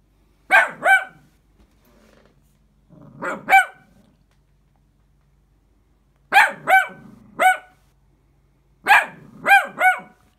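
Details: An 11-month-old male King Charles Spaniel gives sharp, high barks in quick pairs and triplets.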